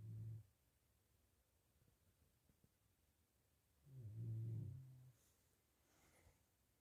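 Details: Healthy pigs in a pigsty, asleep after eating, snore softly. Low grunting rumbles come at the start and again near four seconds, with a faint quieter breath afterward.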